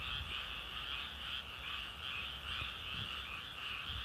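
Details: Frogs croaking together in a steady, unbroken chorus, rapid pulsing notes layered into a bright high band over a lower band, with slight rhythmic swells roughly every second and a soft low rumble underneath.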